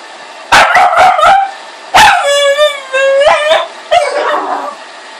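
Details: Boston Terrier and Pug mix dog at play, giving a quick burst of sharp yips, then a long whining, rising howl-like bark and two more short yips, each bark rich and ringing.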